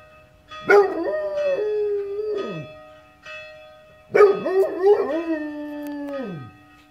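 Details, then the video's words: Basset Hound woken by church bells howls twice, each drawn-out, quavering note held about two seconds before sliding down, while bells keep ringing underneath. "Basset hound singing"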